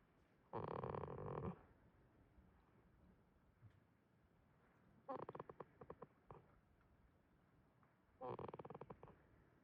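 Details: Jitta, a goat asleep at Yoshigake farm in Himi, Toyama, Japan, snores in three rasping, pulsed breaths a few seconds apart, each about a second long, with quiet between them.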